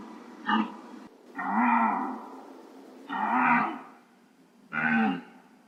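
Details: Deer, from a set of real recordings. Four harmonic, nasal bleats: two brief ones, then two longer, drawn-out calls with a gently arching pitch, separated by quiet gaps.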